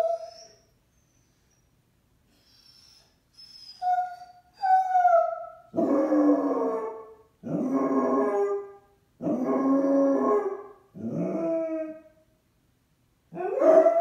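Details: Basset Hound upset after its owner left for errands without it: soft, thin, rising whines lead into a series of long, loud, mournful baying howls, each around a second long, with short pauses between.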